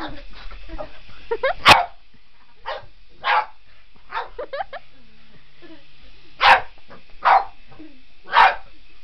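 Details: Boston Terrier indoors going after a remote control helicopter; scattered loud single barks every second or so, mixed with a person talking.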